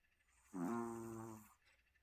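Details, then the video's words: Sleeping Maltese named Sunny gives one drawn-out buzzy snore of about a second, a steady low droning tone rich in overtones that starts abruptly and fades away. "코골이 써니"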